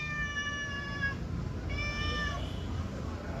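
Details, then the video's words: Domestic cat responding in a conversation with its owner, giving two long, steady meows with a flat, even tone, about a second apart, over a low background rumble. "Cute Conversation With A Responsive Mufasa_The Cat King"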